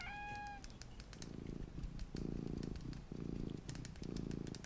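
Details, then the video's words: Small domestic cat purring indoors for relaxation, a short rising tonal note at the start, then low rumbling purr in bursts about a second long, separated by brief pauses, with soft tapping and rustling in the background. "my purring MINI Cat"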